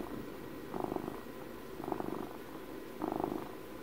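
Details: Close purring of a house cat, three louder rumbling swells spaced roughly a second apart over a low continuous purr, recorded indoors with a faint background hum.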